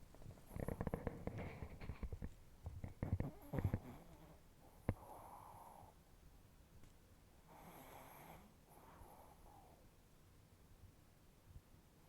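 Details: Chihuahua snoring in its sleep while its face twitches; an irregular flurry of soft snorts and snuffles over the first four seconds, then slower, wheezy breathing rasps in a quiet room.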